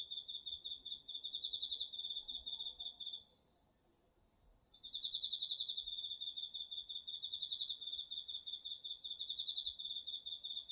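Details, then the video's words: Crickets and other autumn insects in a home garden field at night, recorded on a DR-40X: rapid high pulsed chirps in steady bursts, a three-second pause where a softer, smooth, continuous tone from another insect carries on, then dense chirping resumes. "秋の虫の声 ASMRでおやすみなさい 〜虫の音を枕元で聞いてね〜 こおろぎ他"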